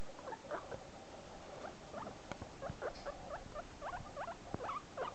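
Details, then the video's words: Pet guinea pig, a male, squeaking whenever separated from his companion; a busy run of short, quick squeaks and chirps, some rising, repeated rapidly throughout, with faint rustling and tapping underneath. "making squeaky noises"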